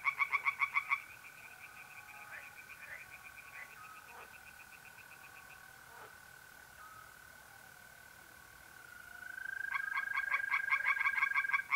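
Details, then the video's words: Tree frogs singing in a pond at night in mid-April, North-East Italy: short bursts of rapid, rattling pulses at the start and end, with a steady, high, unbroken trill of mole crickets running through the quiet middle. "relaxing singing tree frogs in pond"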